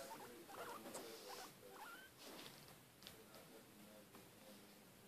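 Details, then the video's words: Mishka, a pet female guinea pig, eating and making noise: short high squeaks scattered among crunchy broadband chewing clicks and rustling, the squeaks irregular and brief, some upswept, over a steady indoor background. "Mishka Eating and making noise"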